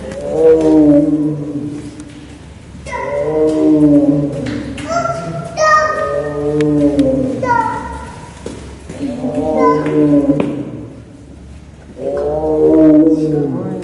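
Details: Three-year-old captive male Amur tiger at Maruyama Zoo, Japan, rolling in and enjoying snow, talks with five drawn-out, low, harmonic moaning calls, each about a second long and spaced two to three seconds apart.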